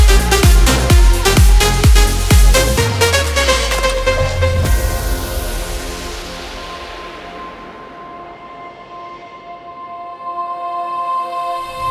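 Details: Electronic dance music with a steady pounding beat that fades into sustained synth tones, and nothing else beneath it.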